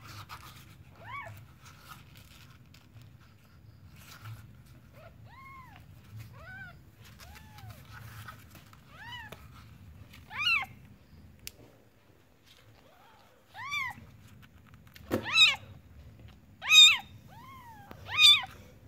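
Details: Newborn kitten starting with faint, soft mews that grow louder and sharper toward the end, a run of arched high cries over low background hum.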